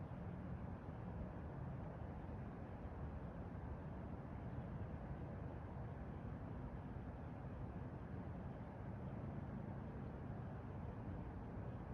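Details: Only a steady low rumble like distant traffic or engine noise is heard, with no animal calls.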